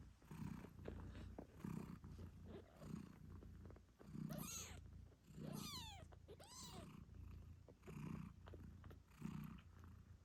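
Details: Low, throbbing purring from Moon Stone, a British Shorthair nursing her kittens eight days after birth, pulses steadily. Midway, a few quick, curving high kitten meows break through.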